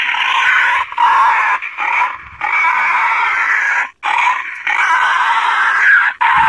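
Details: Harsh wild boar squeals used by hunters to attract boar to bait, tested in the field: shrill screaming bursts of one to two seconds separated by sharp silent gaps.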